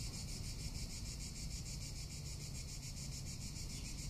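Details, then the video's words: Summer cicada in Tuscany giving a continuous high-pitched buzz broken into fast, regular pulses, with wind rumbling low underneath throughout. "Cicada or Cigarra - Sounds of summer in Tuscany"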